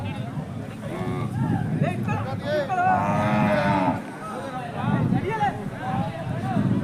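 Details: At a busy Indian cattle market at Jodugatte, a Hallikar animal gives a drawn-out, arching low moo of about a second amid constant chatter and haggling voices over prices.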